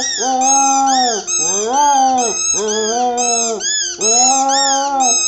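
A Cocker Spaniel sings in long, wavering howls that arch up and fall back in pitch.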